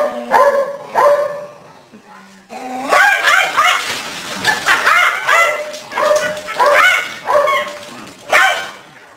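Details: Dog chasing a deer around a garden, giving a run of loud, sharp, ringing barks and yips at a fairly steady pace, with short pauses between bursts and a little voice-like sound mixed in.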